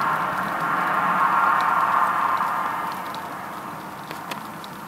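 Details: Western honey bees (Apis mellifera) fanning at the hive entrance in late evening make a dense, crackling hum, from wings clipping neighbouring bees' bodies or beating wings, that swells, then slowly fades.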